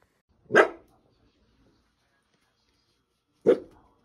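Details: Dachshund, from a compilation of dachshund dogs and puppies, lets out two sharp, single barks about three seconds apart, each short and forceful, with near silence in between and no other clear sounds.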